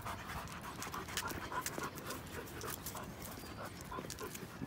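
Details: German Shepherd brothers George and Henry, show/working lines, out on a Sunday morning walk in Salinas, pausing for a break: quick, breathy, irregular panting at roughly three to four breaths a second, with faint rustling outdoors.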